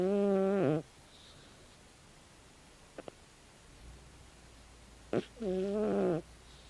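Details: Snores from Tabi, a sleeping 16-year-old calico cat: a steady, buzzy rasp lasting under a second, several quiet seconds with faint ticks, then another wavering snore, in a quiet room.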